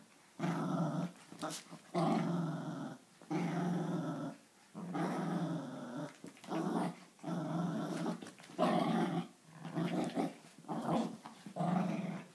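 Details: Two dogs, an Italian Greyhound and a Papillon, indoors during their morning tug-of-war routine: rough rumbling growls in bursts of one to two seconds, broken by short pauses, continuing throughout.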